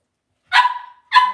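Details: Cavalier King Charles Spaniel puppies raised indoors in a home puppy pen, one giving two sharp whining yelps, the first trailing off into a thin steady tone, the second shorter, in otherwise quiet surroundings.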